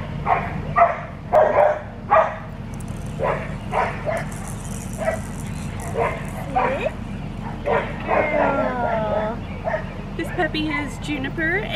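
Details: Blue merle female Australian Shepherd puppy, 7.5 weeks old, from a breeding farm in Oklahoma, giving a string of short high yapping barks, then wavering whiny yelps near the end, over a steady low hum.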